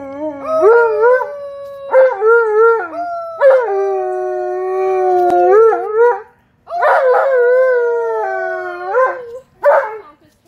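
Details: Tonka the Alaskan Malamute howls happily for visiting nephews, nieces and a neighbor: drawn-out tonal howls that bend up and down, repeated in several phrases with short pauses and a final brief yelp.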